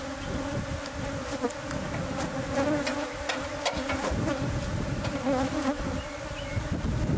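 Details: Bees from a hive hidden inside the walls of a newly bought house, heard during removal: a steady, dense droning buzz of many bees, with scattered knocks and scraping from the work.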